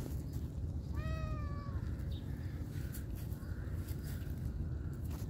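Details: Domestic cat or kitten at feeding time with canned food, giving one clear drawn-out meow with rich harmonics that holds level then slides slightly down, over steady low rumbling background noise and faint clicks.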